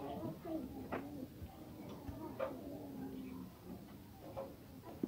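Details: A sheep that has just given birth to a female lamb gives soft, low, wavering bleats, with faint clicks and ticks in a quiet indoor space.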